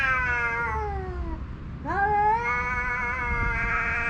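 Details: Homeless male cats yowling at each other in a standoff over a watching female house cat: a long, drawn-out yowl sliding downward, then a second rising, sustained wailing yowl, loud and continuous, with no fighting.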